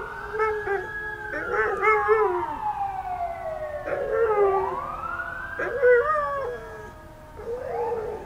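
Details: Alaskan Malamute Nikki howling along with neighborhood sirens; short wavering howls overlap a loud siren sweeping slowly downward then rising again, with the siren nearly as prominent as the dog.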